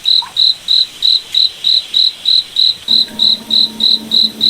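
A cricket chirps steadily, with short high trilled pulses repeating about three times each second.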